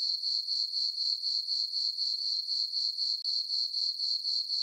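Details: Cricket chorus from a farm meadow on a full-moon summer night, a bright high trill beating about four times per second, briefly cut by a short silent gap late in the stretch.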